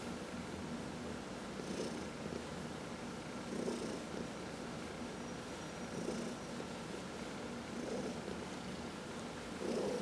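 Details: Domestic cat purring while being massaged, one of four pet cats in the household. A low, steady rumble swells roughly every two seconds with each breath, and soft rustling from the massaging hand is heard throughout.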